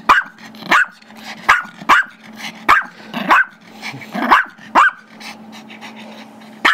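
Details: Chihuahua/Yorkie mix, a five-year-old male pet, barks while a younger Yorkie keeps a squeaky toy from him; quick, sharp, high yaps come roughly every half second, some doubled, over a faint low growl.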